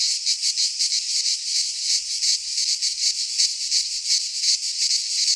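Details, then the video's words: Cicadas of the Greek fauna singing in a pine forest at midsummer: intense high rasping buzz, swelling and fading in rapid beats about three per second, faint low rumble beneath. "Cicadas singing in midsummer - Nature sounds from the Greek fauna - Sounds of cicadas"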